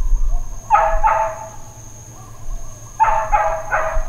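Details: Dog barking at Hawaiian Paradise Park, Hawaii, on Labor Day, September 2, 2024, part of long intermittent uncontrolled barking: two sharp, rough barks, a short pause, then three more in quick succession over a steady high electrical whine.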